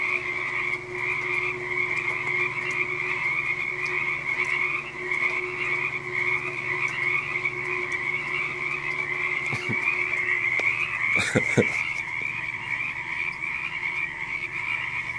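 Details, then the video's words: Massed frogs, claimed to number a million, keep up a steady, unbroken chorus: an even, high buzzing drone over a fainter lower layer, interrupted only by a few sharp knocks late in the recording. "million frogs"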